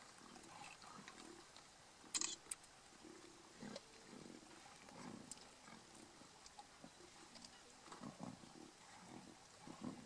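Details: Members of a huge lion pride squabbling at a buffalo kill in Kruger National Park, giving repeated short, gravelly low snarls and growls throughout, with a sharp high click near two seconds.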